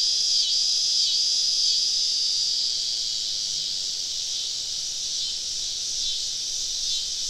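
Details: Summer evening chorus of many cicadas surrounding a woodland campsite in the South, a steady high buzzing wall of sound with a brief whistled tone early on and faint rhythmic pulses throughout.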